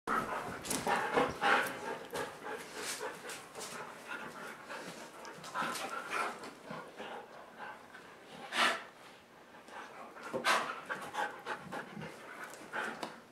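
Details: Dogs playing indoors on a dog bed on a rainy day, flopping around while waiting for the rain to stop; rapid breathy panting bursts with occasional louder huffs and scuffling between them.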